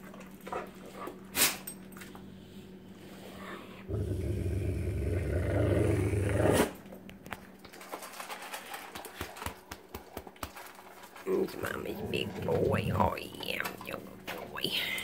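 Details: House dog that carries his food bowl everywhere and acts possessive when it is pointed at: sustained low rumbling growl for nearly three seconds, a further rough growling burst later, and a person's voice and soft music around it indoors.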